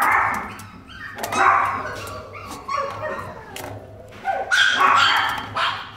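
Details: Blind Chihuahua at an animal shelter, described as very happy, lets out scattered high yaps and barks over a steady low hum and background clatter.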